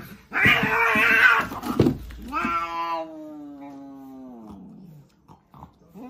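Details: Cats in a fight give a harsh screeching burst, then one long tonal yowl that slides slowly downward over about three seconds before fading, followed by quiet clicks and a brief scuffle.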